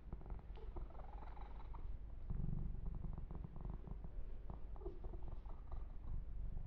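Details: Male kitten Yumak, kept as a pet, purrs during a massage with fur grooming, recorded ear to ear; a low throbbing purr swells midway, mixed with dense clicking and rustling strokes.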